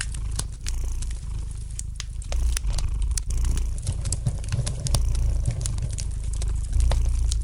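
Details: Soft, continuous low purr of a domestic cat by an indoor fireplace, pulsing with its breathing, while the fire's light crackles and sharp ticks sound irregularly over the top.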